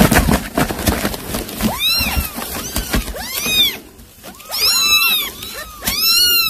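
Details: Domestic cat, a mother that caught a mouse to feed her young, calling her kittens: a run of high, arching mews, each rising then falling, coming in quick succession after early knocking and clattering noises.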